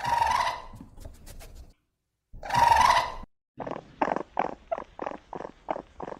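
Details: Raccoon calls: two drawn-out, wavering, harmonic squeals with a pause between them, followed by a quick series of about eight short, clipped chittering notes.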